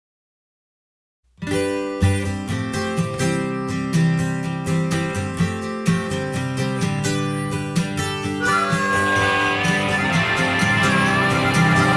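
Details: About a second of silence, then strummed and plucked acoustic guitar music plays steadily; no animal sound is heard.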